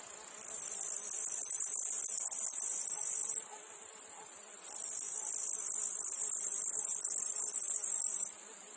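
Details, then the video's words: Cicadas calling in a meadow field among flies and other insects: two sustained, sizzling high-pitched drones of about three seconds each. Each rises gradually and cuts off sharply, with a quieter background buzz between them. "Meadow field insects cicadas flies"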